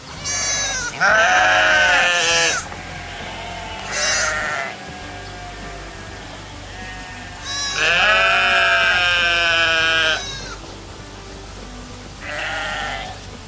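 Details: Repeated sheep bleats, shaky and nasal, two long loud calls and several shorter softer ones spaced a few seconds apart, with a faint low drone throughout.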